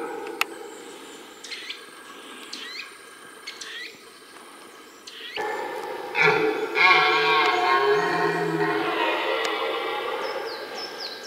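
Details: Red deer in the rut, recorded in the middle of a rutting ground: scattered small-bird chirps give way midway to a loud, drawn-out, harmonically rich roar that carries on to the end.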